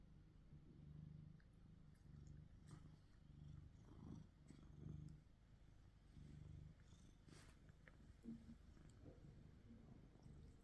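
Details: Domestic cats, two males (a black-and-white domestic shorthair and a gold British shorthair), filmed on a Samsung Galaxy S23 Ultra phone while one cat kisses then bites the other; a low, rumbling purr pulses steadily in soft repeated bursts, with faint rustling.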